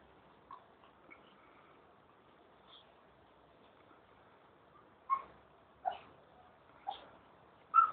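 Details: White Swiss Shepherd Dog puppies of a litter born August 2009 give short, squeaky whines and yelps, louder and closer together near the end.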